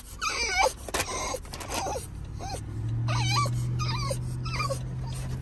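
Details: A French Bulldog throws a tantrum in a car, giving high, wavering whines and yelps over a steady engine hum.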